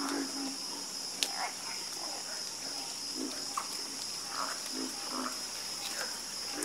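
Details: A chorus of frogs croaking: scattered short, low croaks with brief rising notes, spaced irregularly, over a constant high-pitched insect hum that fills the background.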